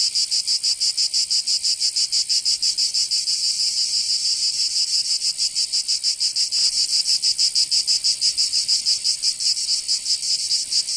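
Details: Provence cicadas in summer, southern France, producing an intense shrill buzzing that pulses quickly and evenly, around three beats per second, the rhythm loosening briefly midway before resuming.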